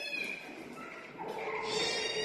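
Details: Cat in a cat room giving drawn-out, wavering meows with a faint tonal whine, two overlapping voices shifting in pitch, slightly louder toward the end, against a soft hissy background.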